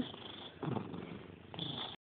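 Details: Mickey, a pet cat nicknamed the catpig, gives rough, breathy snorting bursts: one noisy puff near the middle and another toward the end, over a low steady rumble, after a voice saying goodbye.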